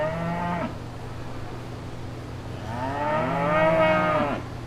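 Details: Cow mooing on a farm: a short low moo fading out, then a longer, fuller moo that swells and holds steady before stopping abruptly, over a constant low hum.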